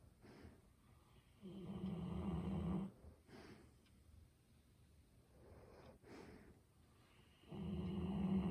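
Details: Golden Retriever named Ibuki sound asleep indoors, filmed up close on a smartphone: loud, low, rumbling snores in long rasping bouts, with a strong one at about 1.5–2.8 seconds and another building near the end, separated by quieter breathing.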